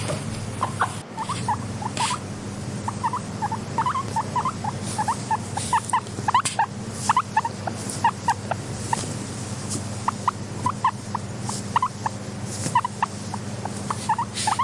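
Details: A contented pet guinea pig wheeks softly. Brief rising squeaks, some doubled, come in uneven bursts over a continuous low droning background and a few faint clicks.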